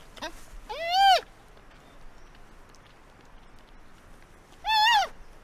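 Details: Giant panda giving two loud arched calls about three and a half seconds apart, each rising then falling with rich harmonics, over a quiet background.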